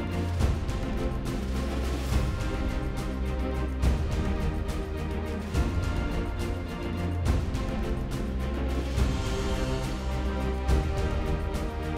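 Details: Steady instrumental music with a deep, pulsing low end plays throughout, and no animal voice can be picked out.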